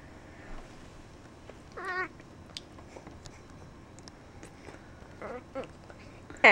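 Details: A grumpy, angry pet cat gives two short wavering, harmonic meows, the first near two seconds, the second fainter near five seconds, with a sharp loud noise at the end and a woman's voice nearby.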